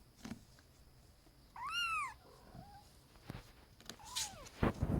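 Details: Pet kitten indoors giving a clear rising-then-falling meow with bright harmonics, a shorter faint mew after it, then a second descending meow near the end, amid soft bumps and handling noises in a quiet room.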